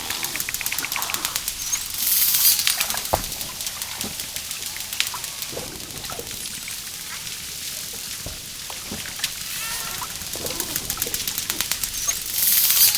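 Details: Underwater dolphin sounds: steady streams of sharp, high-pitched clicks merging into buzzy pulsed bursts, with brief faint whistled tones scattered among them.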